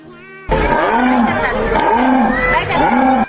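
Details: Jaguar, one of the cat family's distinctive voices: low, coughing grunts repeated roughly every second in a sawing series, with a faint steady tonal hum behind them.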